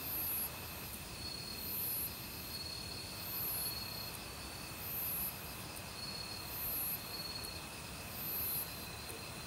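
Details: In a forest in autumn, crickets and assorted insects call together: even, ringing trills hold steady while piercing high buzzes pulse about every one and a half seconds, with stream water rushing beneath.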